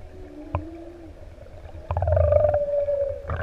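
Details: Humpback whale song recorded close up off ʻEua, Tonga, among six adult whales near swimmers: two low sustained moans, a short knock, then a loud pulsed tone sliding down into a long even hum.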